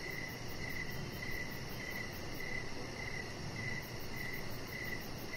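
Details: Crickets chirping in the evening beside a deck with decoration lights, a chihuahua puppy lying nearby; short mid-pitched chirps repeat steadily about every half second, over a fine high pulsing insect hiss and low background rumble.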